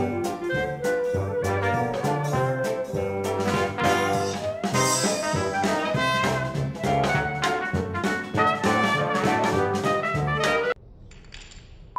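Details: Loud brassy jazz music with trumpets and trombones fills nearly the whole recording before cutting to quiet room tone, with no animal heard.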